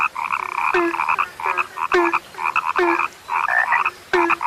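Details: Frogs, reported as now rare, give repeated bursts of rapid pulsed croaking, a little over one burst per second and unevenly spaced, several ending with a low falling croak.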